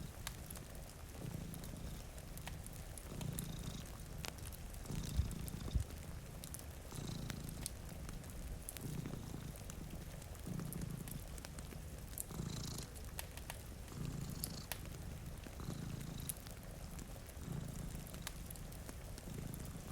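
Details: Two cats asleep in front of a rainy window purr steadily, a deep rumble pulsing in and out roughly once a second, backed by gentle rain and occasional fire crackles.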